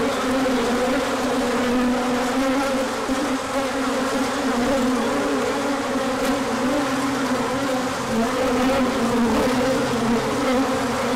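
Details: Honeybee colony out on a large orientation flight once the sun returned after colder days, with pollen arriving afterwards. Many overlapping buzzing wings make a thick, even drone, with pitch wobbling slightly as bees pass close.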